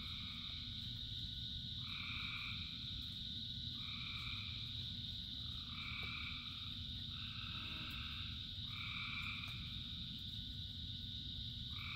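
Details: Thousands of frogs singing during rain: a dense chorus of long buzzing two-tone notes that come every couple of seconds and overlap, backed by an unbroken high-pitched drone and heavy low rain noise.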